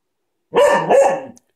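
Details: Playing with a ball, the cocker spaniel named Coco gives a loud double bark, two harsh rough pulses run together into one sound under a second long.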